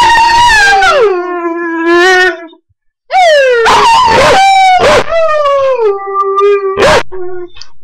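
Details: Blue, a short-term foster dog, howls along with a person: long, tuneful wails that slide up and down in pitch, overlapping a second howling voice, with a brief pause near the middle before the howling resumes.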